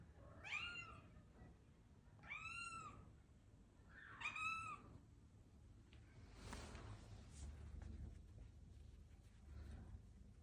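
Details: Attention-seeking British Longhair cat meowing three times in quick succession, each a strong, harmonic-rich, rising-falling cry about two seconds apart. These give way to soft thumps and rustling handling noises with no further calls.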